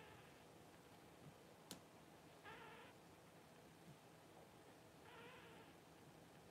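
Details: Newborn Cavalier King Charles Spaniel puppies from Paris's first litter, during whelping: two faint, brief, nasal cries about three seconds apart over steady indoor room hum.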